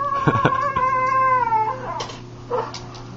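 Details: Pet dog making weird noises and doing little spin dances while her supper is prepared indoors: a drawn-out, high, slightly falling whine lasting about a second, preceded by short yelps and followed by fainter whimpers.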